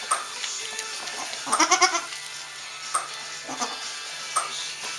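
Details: Newborn Saanen/Alpine kid goats just born on a hobby farm in May 2012; a short wavering, nasal bleat rises over about half a second, with background music and soft clicks and rustles around it.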